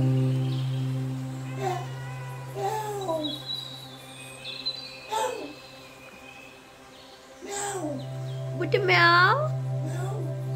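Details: Domestic cat meowing: a few drawn-out meows with arched and rising-falling tones spread over ten seconds. A steady low electrical hum runs throughout, and there is a sharp high meow near the end.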